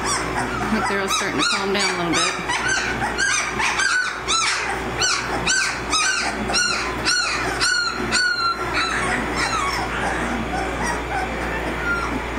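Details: American Mastiff puppies aged 18 days, Kimi x Viho litter, Sycamore Creek Ranch: a busy chorus of sharp squeaks and short yelps, many pups calling roughly once a second, with softer whines drifting between and a low electrical hum beneath.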